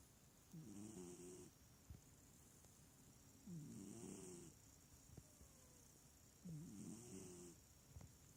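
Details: Small cat fast asleep, snoring rather than purring: three clear rattling in-breaths, each a wavy harmonic rasp lasting about a second, spaced about three seconds apart in a quiet room.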